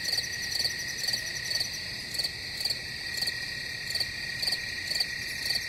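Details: A cricket chorus with layered continuous high trilling and sharp chirp bursts about every half second, keeping an even pace over a faint low background hiss.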